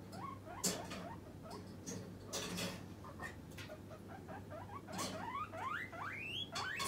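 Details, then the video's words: Hungry pet guinea pig calling for its snack: scattered rising squeaks between loud rustling and clattering noises, ending with a few clearer upward-sweeping wheeks over a constant low hum. "モルモット 鳴き声【お腹が空いた時はこう鳴きます】"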